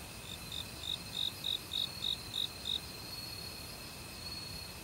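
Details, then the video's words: Autumn cricket in a forest by a valley stream, among other insects: a run of about eight short, bright, high pulses evenly spaced over three seconds, then a steady high trill, with soft rushing water beneath. "가을 귀뚜라미 소리"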